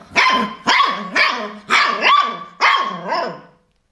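A Siberian Husky puppy gives a run of five sharp, high, yappy barks in quick succession.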